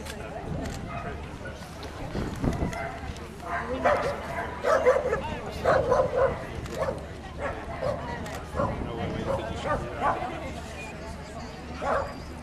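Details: Tibetan Mastiff puppies at the Leeds championship dog show give short, repeated yelping barks that cluster mid-recording, while people talk steadily in the background of the show hall.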